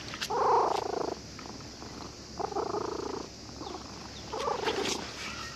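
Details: Cat found sleeping at a fishing port, stroked by a child who came to fish and purring with pleasure; three rough, throbbing bursts, the first and longest near a second, separated by quiet harbour background.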